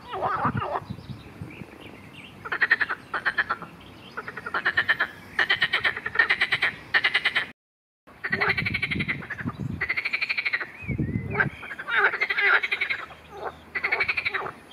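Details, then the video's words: Marsh frogs in a dense chorus, in a recording that mentions an attack by a grass snake: rapid pulsed rattling croaks in repeated bursts about every second, overlapping callers, with a brief silent break midway. "Skokan skřehotavý"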